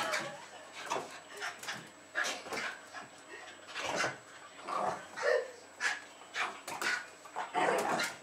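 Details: Jack Russell Terriers Jasper and Jaclyn, roughly two and a half, greeting a woman arriving home in Lenexa, Kansas, February 2010; rapid run of short yapping barks and whimpers, with scuffling and running noise throughout.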